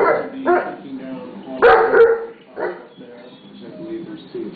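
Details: Pit bull barking at a mastiff pup, telling it to behave; several sharp barks spaced irregularly, one loud burst mid-clip, mixed with a person talking and faint music.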